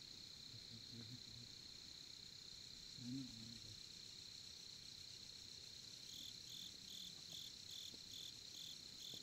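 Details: Crickets heard at a Korean campsite around a campfire: a constant high trill, joined after six seconds by a closer cricket giving short, evenly spaced pulsed chirps; low murmuring voices briefly in the background.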